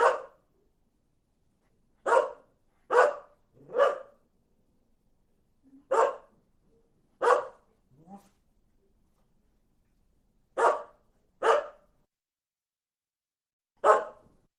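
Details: Dog barking repeatedly in irregular bursts, pairs and triplets of short harsh barks separated by pauses, with a faint whimper or low grunt in between; background otherwise silent.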